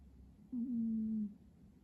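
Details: One drawn-out snore from a sleeping cat, a low whistled tone with a small wobble at the start that then settles and slowly falls, in a quiet room.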